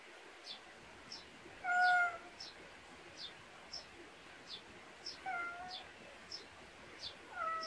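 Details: Cat outdoors in a Korean countryside backyard, giving one clear short meow, then two softer meows later, over a steady background of rapid, high, repeated chirping notes and faint hiss.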